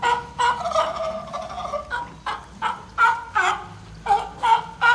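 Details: At a zoo, a California sea lion gives a rapid series of harsh, honking barks with a bleating edge, seemingly inviting a female pup born in 2020 to play in the water.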